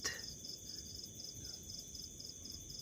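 A house cricket gives quick, high, pulsed chirps, repeated steadily several times a second.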